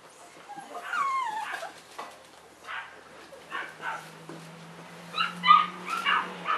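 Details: Cavalier King Charles Spaniel puppies, three of them, filmed in March 2014: a rising and falling whimpering squeal, then short yips and whines in scattered bursts over a low steady hum.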